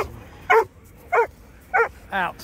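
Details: Four abrupt barks evenly spaced roughly every 0.6 seconds, the last slightly drawn out and rougher, from a dog among a German shepherd, Presa Canario, mother and puppies.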